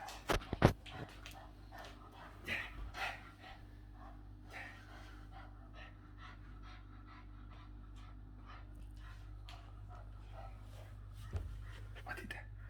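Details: Boston Terrier named Yoda making a funny noise while playing; rapid rhythmic panting and snorting breaths with a few brief louder grunts early on, indoors.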